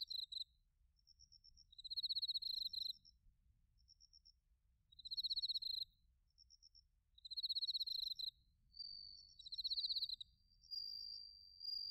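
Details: Autumn chorus of bell crickets and crickets from Narita, Chiba, Japan, captured with a TASCAM Portacapture X8: bright pulsed trills recurring roughly every two to three seconds, each about a second long, over sparse higher beaded notes and faint low rumble.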